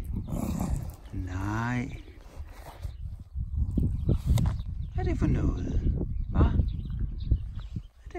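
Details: Dog growling angrily when disturbed while chewing a mattress: rough, low snarling rumbles with a brief higher harmonic whine-like snarl early on, mixed with a person talking in Spanish and bits of music.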